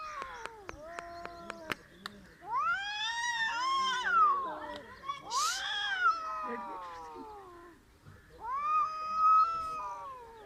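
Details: Cats in a failed attempt at fighting trade rising-and-falling yowls and arching, siren-like wails, several overlapping, with a brief hissy burst mid-way, a pause, then another rising howl.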